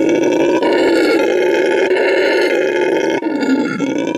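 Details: Rescued red howler monkey, a male at a Bolivian animal refuge and eco lodge, marking his territory with an extremely loud howl: a sustained, buzzy roar with dense harmonics, slightly throbbing, pausing for breath after about three seconds.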